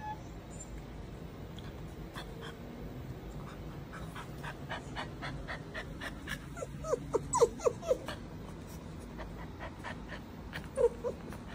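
A newborn Chow Chow puppy gives thin, high squeaky cries over soft breathing sounds.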